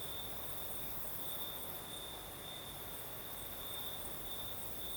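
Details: Southern Crimea at night, crickets chirring in a steady, bright, slightly throbbing high trill with a fainter upper band, a gentle night breeze hissing softly beneath.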